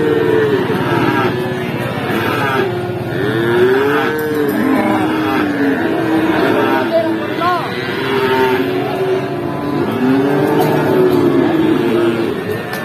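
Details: Feeder cattle at the Pati cattle market in Indonesia, lowing in overlapping, drawn-out moos with arching harmonic tones from several animals, over steady crowd murmur and engine noise.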